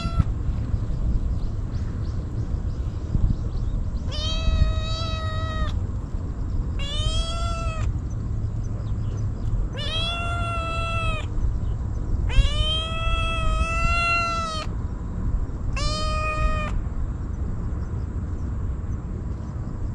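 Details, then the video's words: Hungry stray kitten gulping down Churu treats and Sheba food, calling out desperately, GoPro recording: a run of six clear, drawn-out meows with bright harmonics, spaced one to three seconds apart, over a constant low hum. "かわいい子猫 とにかく必死で鳴き叫び続ける 野良猫"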